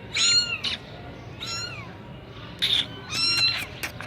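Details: Persian Sami Punch kitten from Gujranwala giving four clear, shrill meows about one second apart, each a thin rising-and-falling wail with bright overtones, against a soft low background hum.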